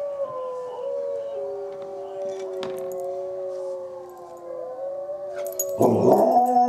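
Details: Dog named Izzie answering wolves with long drawn-out howls, steady then gently falling, multiple voices layered together before a loud, rough, wavering outburst near the end.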